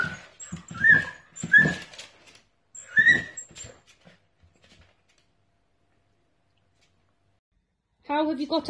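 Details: Young dachshunds playing make a few high, falling whimpers and yips in the first seconds. Silence follows, and a human voice comes in at the end.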